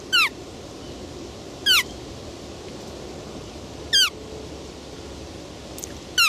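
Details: Roe deer repeating a brief, sharp descending squeal roughly every two seconds, four calls in all, each clean and similar, with a quiet rushing noise underneath.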